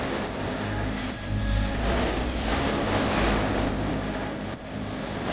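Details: A continuous vehicle engine roar that swells and revs, with no animal voices.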